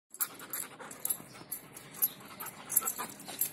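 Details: A Belgian Malinois pants in quick, breathy bursts, about two to three per second, during training in mealtime discipline.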